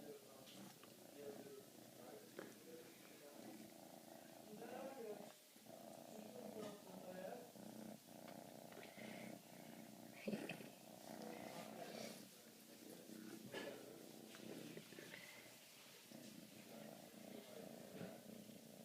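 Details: Siberian kitten, fifteen weeks old, being cuddled indoors, purring steadily as a low continuous rumble, with a woman speaking softly in Polish and occasional handling noises.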